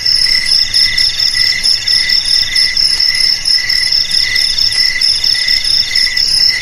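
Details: Cricket chorus meant to drive rats away from home, garage, storeroom or rice field: layered high-pitched trills, unbroken and bright, with a gentle regular pulsing in loudness.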